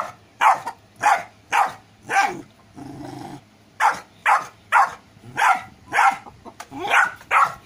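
A golden retriever puppy barks repeatedly in short, sharp bursts, with a brief low growl midway.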